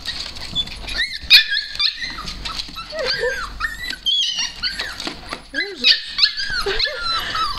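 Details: Several Siberian husky puppies greeting their owner, producing high, squeaky whines and yelps that bend up and down in pitch, overlapping in excited bursts, with a woman talking to them.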